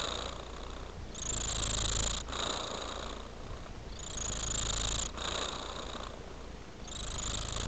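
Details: Fluffy white-mittened cat in a quiet room, purring without pause. The deep throbbing hum grows louder and airier in waves near the first, fourth and seventh seconds.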